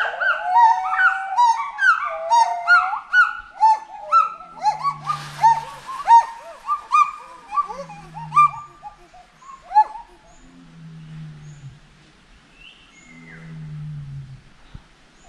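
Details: Calls of a forest monkey: a fast run of short rising whoops that slows and fades, followed by spaced low hoots and a brief burst of noise.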